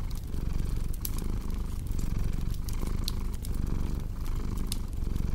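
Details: Steady rumbling cat purr beneath scattered sharp fireplace crackles and snaps, the purr rising and dipping with each breath.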